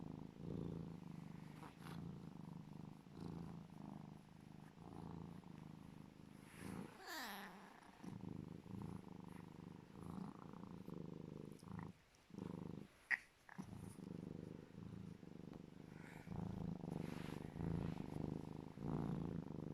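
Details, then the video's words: Legolas, a pet serval, purring loudly with happiness while cuddling. A steady low rumbling purr continues throughout, broken by a brief rising squeaky call near the middle and a couple of short quiet pauses. "Sweet Legolas the serval cat making funny noises of happiness cuddling & purring loud"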